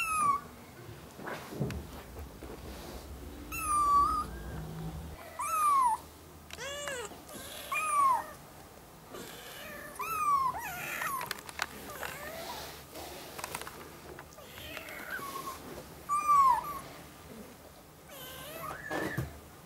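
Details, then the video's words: A young mother cat, once a stray, with her four one-month-old ginger kittens indoors, without background music: high, arching meows repeated every one to two seconds, about eight clear calls, some overlapping, over soft rustling. "Mom cat with 4 meowing kittens"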